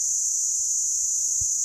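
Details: Cicada, called the bush thermometer, at the Meerkat Magic Valley Reserve on a hot 19 December 2017. A piercing, even buzz runs without a break, with a brief low thump near the end.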